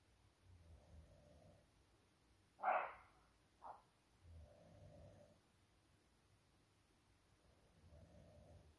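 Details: A young roe deer buck at 2 am in woodland, challenging a rival during the rut, gives a loud, hoarse bark, followed by a shorter second bark.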